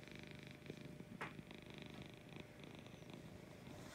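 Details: Lucy, a sweet female cat, purrs in the morning with a dense low vibrating rumble, steady throughout, with a brief rustling scrape just after the first second.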